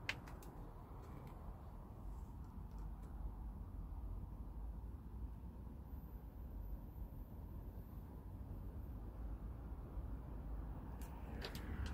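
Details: Quiet outdoor background of low rumbling noise with a few faint clicks and no animal calls heard.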